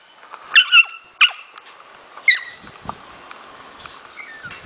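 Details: Four-month-old Smooth Fox Terrier puppy in playful hunting training, showing its hunting instinct: a few short high-pitched yelping barks near the start, then quieter chirps of birds in the background.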